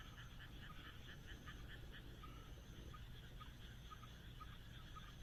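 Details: Frogs calling on a moonlit night in the Japanese countryside: faint rapid pulsed croaks in quick trains, with higher insect-like repeated notes and a steady low rumble of background noise throughout.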